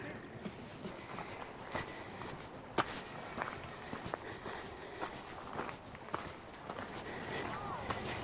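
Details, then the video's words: Cicadas singing in the geothermal park at Wai-O-Tapu near Rotorua, New Zealand, heard beside a large mud pool: a steady high, hissing buzz that pulses and surges, with footsteps and a man talking over it. "You can hear the cicadas. Astonishing"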